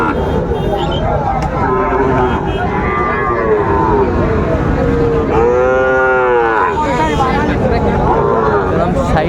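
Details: Sahiwal bull calves at Raniganj cattle market in Dinajpur, 18 April 2024: repeated lowing calls, one loud rising-then-falling moo near the middle, over constant crowd talk and bargaining voices.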